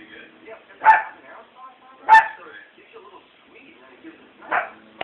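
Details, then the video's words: Pet dog barking or hiccuping: three abrupt, clipped yelps at uneven intervals, the first two about a second apart, then a pause before the third, with quiet murmuring and faint tones in between. "From Bark"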